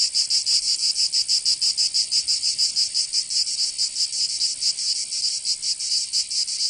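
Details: Cicadas singing in summer in Provence, southern France: a loud, dry, high buzzing made of rapid pulses about four to five per second, steady throughout, with no other sounds.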